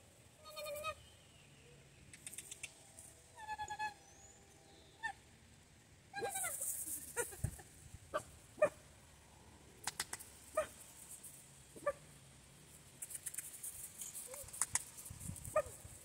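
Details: Central Asian Shepherd (alabai) puppy giving several short, tonal, whining yelps in the first four seconds, followed by scattered clicks, knocks and sharp handling noises.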